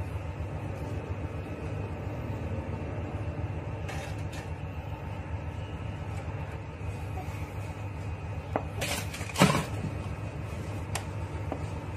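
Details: A steady low indoor hum with a few clatters and knocks, like a cupboard or dishes, and no animal call.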